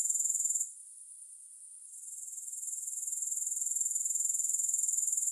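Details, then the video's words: High, sizzling grasshopper chirr that suddenly softens to a quiet hiss for over a second, then gradually swells back into loud, regularly pulsed buzzing; nothing else is audible. "Grass Hopper Sounds"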